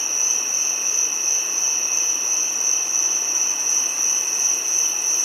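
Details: Continuous shrill drone of a giant cicada, a pure sustained high tone over a weaker lower band, even and unchanging from start to end.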